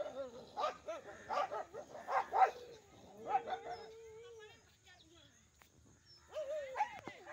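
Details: Two groups of village dogs fighting: a cluster of loud, harsh barks, then one long steady whine. A quiet pause follows before a final burst of barking and yelping. A man's voice briefly shoos them away.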